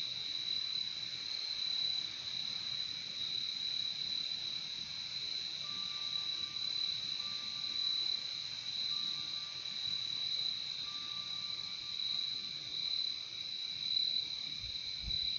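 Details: Unbroken high-pitched cricket chorus, shrill and evenly pulsing, with a lower companion trill and a thin, faint steady tone drifting in partway through.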